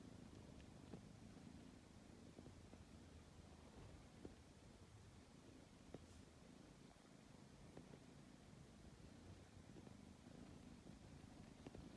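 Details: Tabby cat kneading before sleep, purring softly as a low continuous rumble, with scattered light taps and rustles over it.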